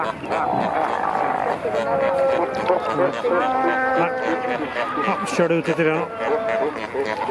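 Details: Chorus of fur seals around kayaks at Pelican Point near Walvis Bay, Namibia, where many pups had just been born; long, steady, tonal bleats and wavering moans overlap one another, some held for a second or more, above lapping water.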